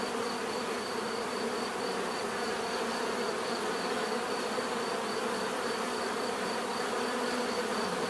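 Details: Even, unbroken buzzing of bees, a warm low drone with a brighter band near 500 and a faint beating high tone, steady in loudness from start to finish.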